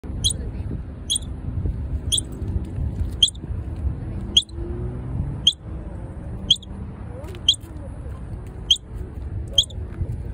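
A squirrel gives sharp, high chirps, repeated about once a second over a low background rumble.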